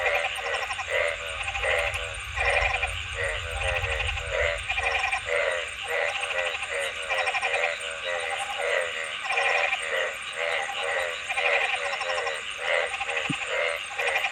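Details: Several frogs overlap in a dense, continuous chorus of pulsed buzzy croaks. A low rumble is heard during the first few seconds, and a steady hiss runs throughout.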